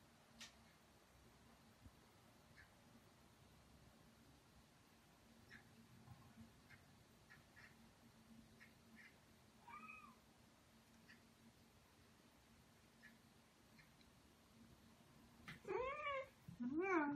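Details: Pet Ragdoll cat during a calm weekend at home, one of a pair aged two years eight months and two years four months: long quiet stretch with faint ticks and one soft meow, ending in a burst of several clear, rising meows.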